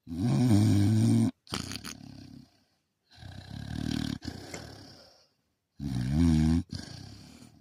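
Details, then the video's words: Sleeping dog snoring in three long, rumbling breaths, each a low, buzzy drone lasting over a second, with softer raspy exhalations between them and short gaps of silence. "rome snoring"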